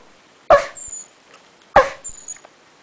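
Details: Female puppy crying after her mother: two short, sharp yelping cries about a second apart, each with a thin high whistle-like tail, in an otherwise quiet room.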